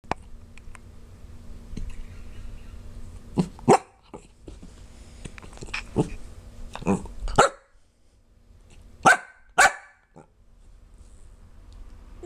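A corgi hiccups in short, sharp, clipped bursts, often in quick pairs, separated by quiet gaps.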